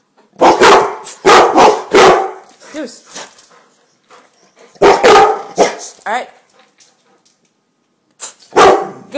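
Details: Gia, a cane corso, and Deuce, a bullmastiff, two house dogs performing tricks and barking on command for food rewards; loud deep barks in quick groups of three, then single ones, with a person's voice between them.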